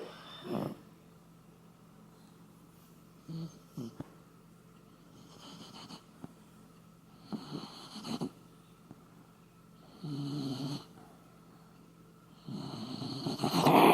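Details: Koume, a Shiba Inu dog, sleeping indoors and snoring like an old man: rough, breathy snores in separate bursts about every two seconds, loudest at the end, in a quiet small room.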